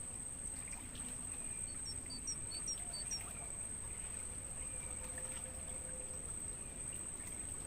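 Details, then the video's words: Crickets recorded in a natural mangrove forest as stimulating sound for songbirds. An unbroken high ringing trill persists, joined briefly in the middle by a short run of falling bird chirps, with a low, rumbling ambient noise beneath. "Suara Jangkrik buat Masteran Burung"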